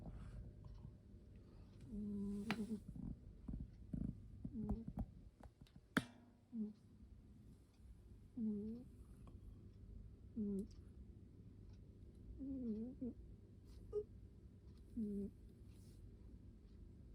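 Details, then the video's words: Sleeping domestic cat snoring indoors: short nasal, harmonic snores recur roughly every two seconds, some with a slight wavering pitch, over low room hum with scattered clicks and handling knocks. "Just sleeping while waiting and 💤 snoring"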